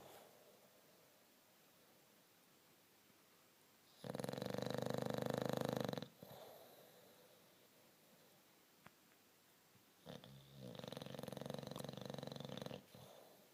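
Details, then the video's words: Sleeping English Bulldog giving two loud, rough, vibrating snores about six seconds apart, each roughly two seconds long, separated by quiet breathing and a faint room hiss. "bulldog anglais qui ronfle"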